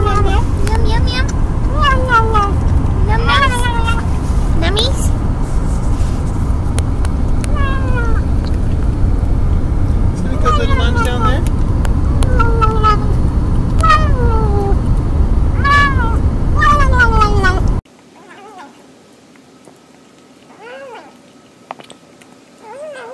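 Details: Domestic cats and kittens calling while eating, the sounds likened to yum yum yum or nom nom nom. Short mews come in quick, uneven series over a loud low rumble and voices, then continue faintly in a quieter end section.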